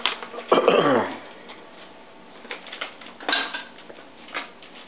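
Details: A pet Bengal cat, one of two named Sabu and Savannah, gives one short meow that slides downward in pitch. Scattered clicks and light tapping follow in a small indoor room.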